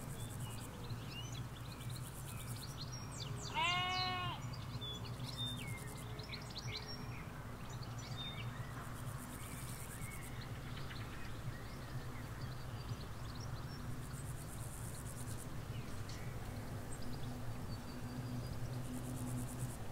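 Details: Sheep in a field in the Hampshire countryside, ewes with their lambs; a single clear harmonic bleat around the fourth second, with bird chirps, a faint insect buzz and a steady low road rumble underneath.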